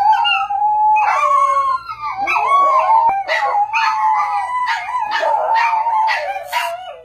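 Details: Dog howling in a long, wavering, continuous line, with sharper yelping accents breaking in repeatedly through the second half.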